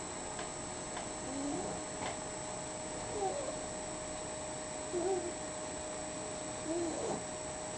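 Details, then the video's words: Sleeping dog snoring, heard as soft, faint nasal squeaks and whistles with wavering pitch, one on each breath about every two seconds, over a steady background hiss. "snoring dogette"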